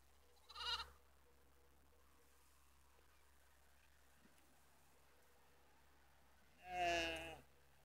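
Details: Sheep bleating, a ewe with three black lambs in Netoniai, Kaunas district, Lithuania, recorded 27 September 2016 at 17:53. Two separate bleats, a short one at the start and a louder, quavering one about six seconds later, over a low steady hum.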